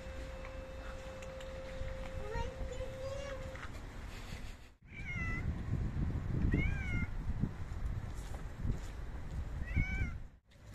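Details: Hungry stray cats, five adults and kittens, fed dry cat food outdoors; several short, arched, nasal meows around the middle and end, with a steady tone and a rising wavering tone early on, plus background rustling and crunching.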